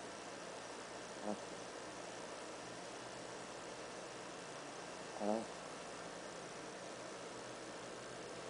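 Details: Andy, a black toy poodle, naps on a couch indoors, giving two soft snorting snores about four seconds apart over a steady hiss of room noise.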